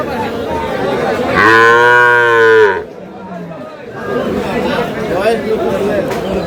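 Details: Improved-breed milk cow or calf at Aftabganj cattle market, Dinajpur, 1/8/26; one loud, rich, low moo lasting about a second and a half, steady then cut off, surrounded by crowd chatter and bargaining voices.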